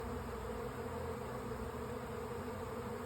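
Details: Honey bee swarm moving into a hive on May 24, bees coming in with the sun behind them; a dense, steady many-winged hum with a low drone band, continuous and unbroken.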